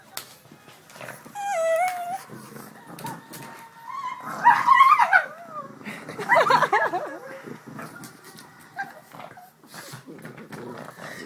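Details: Pet pugs Jax, who is black, and fawn Sookie play with a stuffed pug they got for Christmas. Short stepped whimpers come early, then two bursts of high, wavering, yelping whines, and quieter rustling and faint voices follow.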